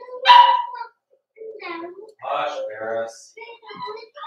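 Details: Four-week-old Cavalier King Charles Spaniel puppies from Daisy's litter, indoors in their pen, give short harmonic whines and yelps in uneven bursts, with a brief quiet gap partway through and faint room sound.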